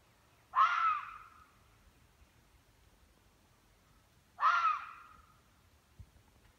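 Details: Hunting red fox in northern Michigan, its eerie scream used to frighten prey into running: two harsh, raspy screams about four seconds apart, each loud at first and then trailing off, over a quiet background.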